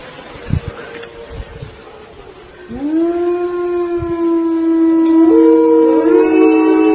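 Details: Siberian Husky: a faint steady tone and scattered thumps, then a strong howl swoops up and holds steady. A second, higher voice joins near the end, giving a two-part harmony.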